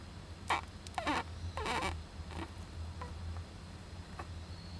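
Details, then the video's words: Young Japanese giant flying squirrel inside an owl nest box on 19 July 2010, sneezing and crying: a few short, raspy, sneeze-like bursts packed into the first two seconds, then fainter clicks over a steady low hum. "仔ムササビの鳴き声 ～子供だってくしゃみするんです～"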